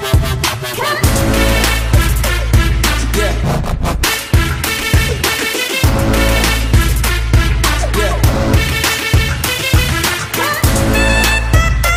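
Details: Loud hip hop music with a heavy bass beat and rapped vocals fills the whole stretch, with no animal sound.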